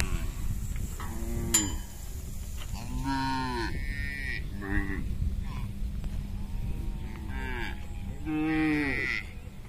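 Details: Hundreds of tame herded cows crossing a small bridge while returning to their pen. Frequent moos from several animals, some long and wavering, others short and nasal, against a constant low hum.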